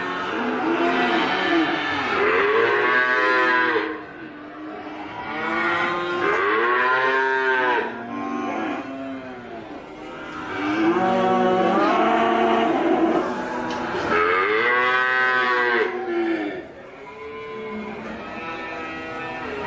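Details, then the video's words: Cattle mooing in long, drawn-out bellows with rich harmonics, several calls repeated every three to four seconds with short pauses between them. "suara sapi moooooooo"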